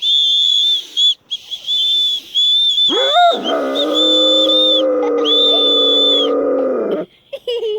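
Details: Caucasian Shepherd Dog singing along after children whistled: shrill steady whistles first, then the dog's sustained harmonic howl rises sharply and holds level for about four seconds before the whistling returns.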